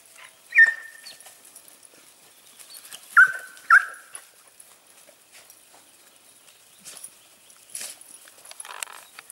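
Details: Segugio Italiano hounds, smooth- and rough-coated, hare hunting at Sofiko in Evros, Greece, 18 October 2015: three sharp, high, downward-sliding yelps, one alone then a close pair, with soft rustling between.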